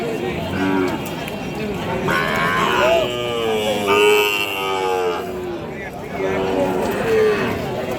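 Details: Sahiwal and other breed calves, six to eight months old and suited for farm raising, at a cattle market. Drawn-out lowing moos with stacked harmonics rise and fall from about three to five seconds, with shorter calls later, over crowd chatter and market bustle.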